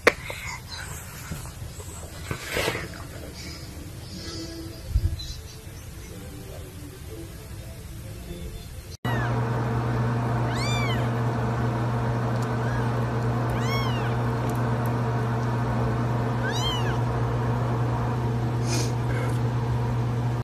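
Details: Hairless Sphynx cat meowing indoors: three rising-then-falling meows, each roughly three seconds apart, over a steady low hum with background music; the first half holds only quiet room noise and faint clatter.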